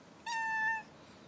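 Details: Domestic pet cat answering its owner at home with one clear, sustained meow of about half a second, steady in pitch and fairly strong, in a quiet indoor room.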